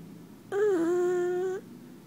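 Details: A male pug dozing in his owner's arms, making one steady, hum-like nasal snore lasting about a second at a fairly even pitch, indoors.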